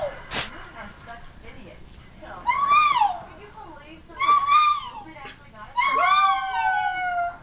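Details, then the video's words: Howling silky terrier: a sharp click early, then three wavering howls that rise and fall, the last one long and trailing off, with faint background noise between. "My silky terrier, howling!"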